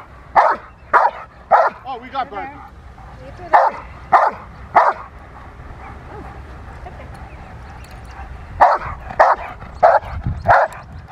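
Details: A female Rottweiler at protection training, April 2021: two clusters of loud, evenly spaced barks, three at a time, then a pause and four more, with human speech faintly behind.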